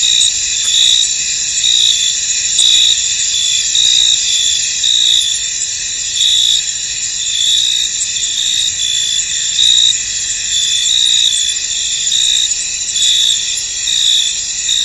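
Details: In a misty field, a chorus of crickets keeps up an unbroken, high, ringing trill, punctuated by brighter chirps near once a second and a few faint soft clicks early on.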